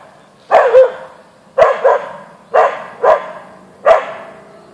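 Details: Boeing, a Siberian Husky (Ausky), barking at a deer in the backyard: sharp barks, several doubled, in quick bursts roughly once a second, with a low background hum.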